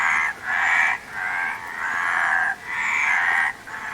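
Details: Rasping frog croaks arrive in four pulsing bursts of about a second each, separated by short quiet breaks, several callers blending into one chorus.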